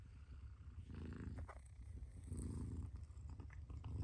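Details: Mother cat purring steadily, a low rumbling throb in rhythmic waves that swell with each breath, about forty cycles a minute, with faint rustling in the background.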